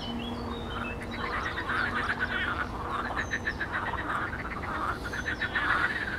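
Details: Many frogs calling together in a pond on 12 May 2022: dense overlapping trains of rapid pulsed croaks, rising and falling in waves throughout, with a faint thin whistle from a bird now and then.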